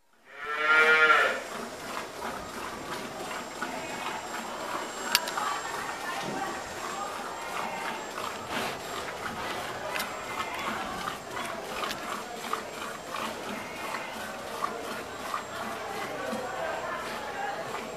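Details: Cow lowing while being milked: one loud, harmonic moo in the first second and a half, falling off quickly, followed by a long stretch of steady clattering and rustling barn noise with scattered clicks and knocks.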